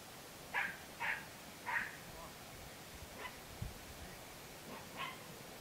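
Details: A Podenco Andaluz, recorded 3 December 2011, barks in a quick series of three clear yelps, then fainter barks trail off over a low thump and faint background noise.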